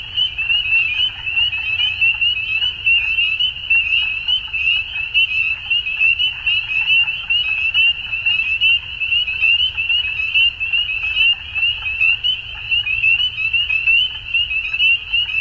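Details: At dusk a frog chorus keeps up an unbroken high-pitched trill, rising and falling slightly in loudness about once a second, with many voices overlapping and a soft low background hum.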